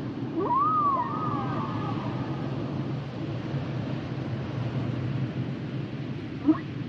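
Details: Humpback whale song: a single whistled tonal note arching up near one kilopitch then sliding down, held about two seconds, over a steady low ocean rumble, with a faint short chirp near the end.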